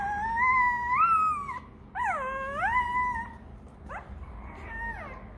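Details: Rottweiler puppy, hungry and calling for milk, gives drawn-out wailing whines that rise and fall in pitch, one long cry then a dipping, howl-like second cry, then short sliding whimpers, over a steady low hum.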